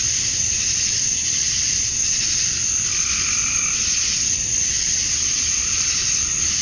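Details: Male cicadas singing for females during a Georgia, USA summer dusk; steady piercing high drone overlaid by softer pulsing mid-pitched tones that rise and fade around the middle of the stretch.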